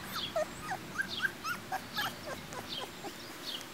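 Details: Two-week-old Golden Retriever puppies playing outside on a sunny summer day, some napping in the grass; short high squeaky yips and whimpers, several in quick succession, over steady outdoor background hiss.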